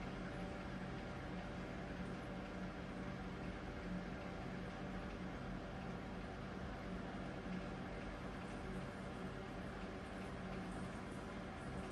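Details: A steady low hum and faint broadband hiss fill a quiet indoor space, with no animal sounds.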